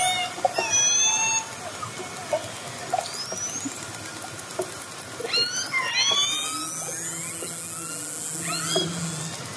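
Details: Orcas nearing a fishing boat, heard underwater: short squealing upsweeps give way to bursts of stacked rising calls, then a low droning tone joins beneath a bright hiss.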